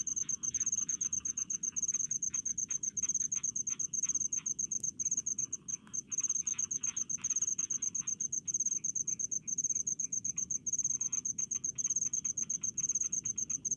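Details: Cricket calling in rice fields in the Indonesian countryside. Steady, fast trains of high, thin pulsed chirps, grouped in short bursts that run almost without pause. A faint low rumble sits underneath.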